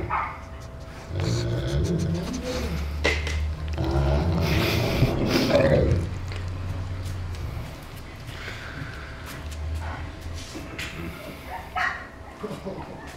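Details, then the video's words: Newfoundland dog howling: drawn-out, wavering tones that rise and fall, loudest and fullest in the middle seconds, then fading into softer, lower howls, over a steady low hum with faint scattered clicks. "Newfoundland dog howling, huilende newfoundlander"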